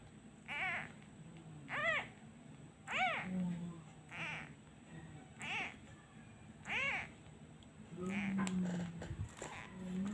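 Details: Abandoned kitten crying each time a hand is taken away, missing its mother: about seven thin, high meows rising then falling, repeating roughly every second, over a low steady hum, with rustling near the end.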